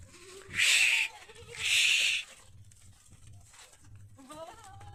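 A goat gives two loud, harsh bleats about a second apart, followed by quieter sounds.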